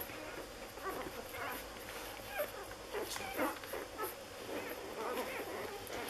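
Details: Six-day-old Lagotto Romagnolo puppies from an A litter in Hamburg, giving a busy run of thin, high squeaks and whimpers that overlap and rise and fall, with a faint hiss behind them.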